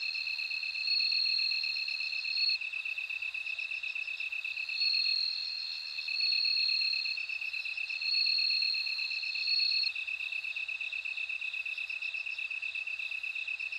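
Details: Bell cricket singing: bright, ringing high trills about one and a half seconds long, repeated four times, over a steady pulsing chorus of other insects at a lower pitch.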